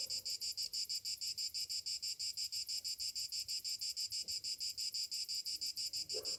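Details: Cicadas on a summer morning, droning in fast regular pulses near three per second, with a short low sound at the end.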